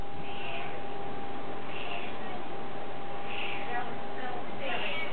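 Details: Curious house cat giving repeated meows roughly every one and a half seconds, each short and slightly wavering, against a constant background hum.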